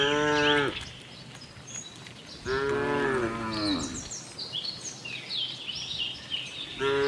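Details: Friendly farm cows wandering in search of green grass: a brief moo opens, a longer wavering moo follows, and another begins at the end, with chirping birds filling the quieter gaps.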